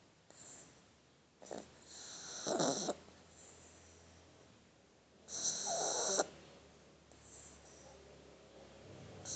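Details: Sleeping Shar Pei puppy held in someone's arms snores in two long, rasping, noisy breaths with quiet stretches in between and a faint low hum underneath.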